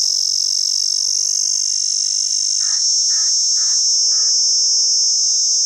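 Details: Cicada in Pakistan giving a loud, steady, shrill buzz that runs unbroken through the whole stretch. Four short, rounded lower notes from another animal repeat about every half second near the end, over faint steady hum tones.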